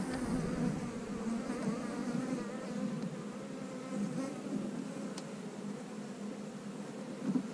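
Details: Honey bees in a split colony, checked by a beekeeper for queen cells: a steady low hum runs throughout, with a warm fundamental drone and a fainter overtone above it, and only a few soft handling clicks.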